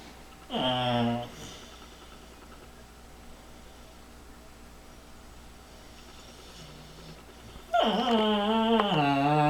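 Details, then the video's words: Bullmastiff puppy making human-like noises because a cat sits with his toy and he is afraid to take it; two drawn-out, falling-then-rising vocal whines, one short near the start and a longer one at the end, quiet room between. "bull mastiff pup making human sounds"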